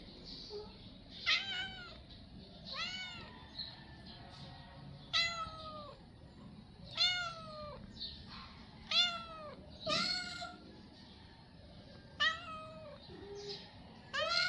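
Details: Hungry stray cats meowing to ask for food: about eight loud, drawn-out meows, each rising then falling, repeated every one to two seconds over a low background rumble.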